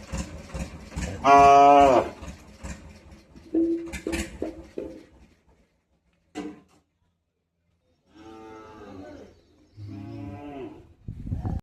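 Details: Cow giving a drawn-out, harmonic moo lasting under a second, followed by shorter, lower mooing bursts and scattered knocks and shuffling, with quiet gaps between sounds.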